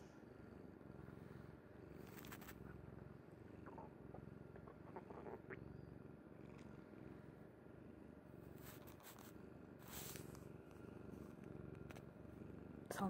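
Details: Domestic cat Kuri sleeping soundly on a mother's bed, purring in a steady low rumbling throb throughout, with a few brief scraping and rustling noises around two, nine and ten seconds.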